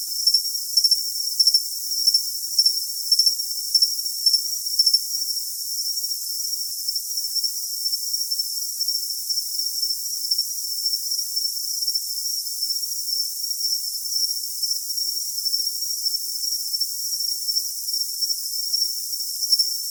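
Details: Cricket calling in a continuous, very high, thin trill that holds one steady pitch, with faint rapid pulsing in the first few seconds and no other sounds.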